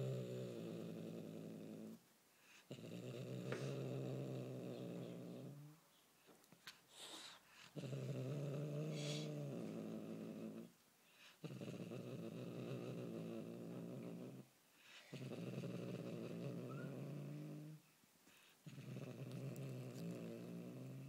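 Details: Refusing to let go of its toy prey, a Bengal kitten keeps up a series of sustained low, buzzing growls, each lasting several seconds, broken by short pauses filled with rustles and small clicks.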